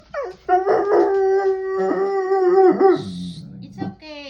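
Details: Guard dog at home reacting to a delivery person: a long, steady, mournful howl lasting about three seconds, ending in a lower rough sound and a brief rustle.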